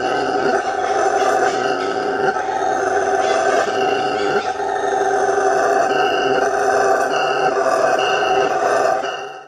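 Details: Howler monkey (bugio) producing a loud, gravelly, droning roar that runs without pause, slightly rising in strength midway before fading at the close.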